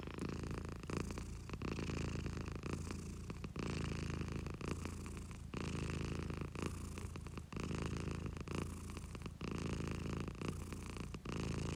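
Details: Steady purring from a pet house cat, a low buzzing rumble that swells and pauses with its breathing roughly every two seconds, loud and close.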